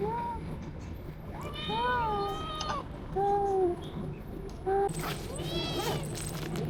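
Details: A kitten resting in a shady park on a hot, humid day gives thin, high, wavering meows, begging for food, while people talk softly nearby.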